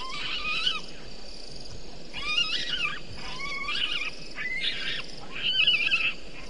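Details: Night calls of a bushbaby by Gowrie dam, Djuma Game Reserve, Sabi Sand Wildtuin, South Africa, 04:35 on 02/07/19; five harsh, wavering squalls about one second apart, the last one shrill and trembling, against constant hiss.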